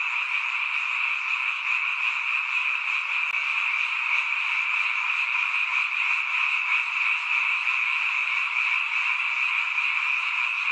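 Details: A dense night chorus of frogs in a mountain village, heard only at this time of year, many voices merging into a steady, shimmering trill.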